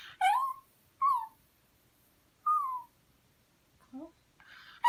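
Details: Pet dog whining to be given beef: drawn-out whimpers that slide downward, three main cries about a second apart, then a short faint squeak, with a person's voice at the end.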